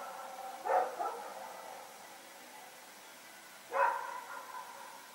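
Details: Dog named Rex running around with a companion at night, recorded on 21 September 2018: two distant barks about three seconds apart, the first doubled, over a steady low hum.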